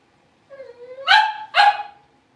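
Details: One of five blenheim Cavalier King Charles Spaniel puppies born at New Year, newly in a bigger pen: a low drawn-out whine that swells into two quick sharp barks about half a second apart.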